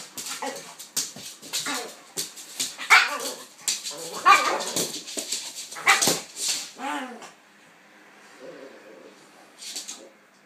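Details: Pitbull Kaiser and King Charles spaniel Viki playing together, with a dense run of sharp barks, yaps and growly grunts for seven seconds, then a quiet stretch with a faint whine and one last short yip.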